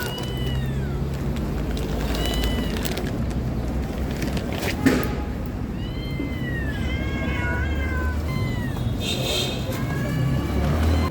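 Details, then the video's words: Loud cat meows: arched, wavering calls in a few bursts, clustered more densely in the second half, over a heavy low hum like traffic or machinery. "Loud meow 💜 of cats 🐈😻🐈‍⬛. مواء عالى للقطط"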